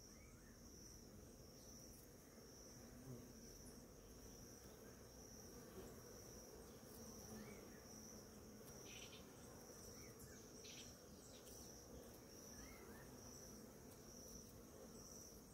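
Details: Crowd of bees foraging on blooming ora-pro-nobis one morning: a diffuse, continuous low drone of wings beneath a steady shrill insect whine, with a few faint distant bird chirps scattered through.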